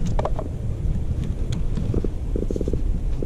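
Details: A hooked black drum, about 16.5 inches long and caught on blue crab bait in deep water off Beaufort, South Carolina, makes low, rumbling drum-like thumps in quick pulsed bursts, with wind and handling noise.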